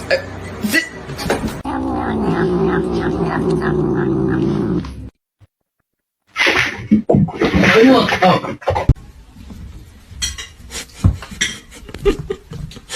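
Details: Fighting cats: a low sustained growling yowl holds for several seconds, then a brief silence, followed by scuffling noise and overlapping voices.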